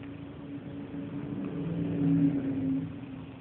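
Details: Female cat Purdy purrs very loudly during affectionate rubbing, giving a dense low vibrating drone with steady humming tones that grow louder midway.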